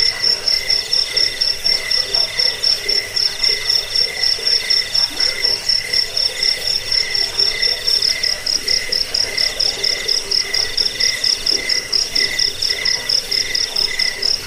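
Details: Crickets, a recording used against rats, for sleep and for bird training: a continuous high trill of fast pulses, with a lower chirping layer swelling and fading in regular beats over a soft noisy background.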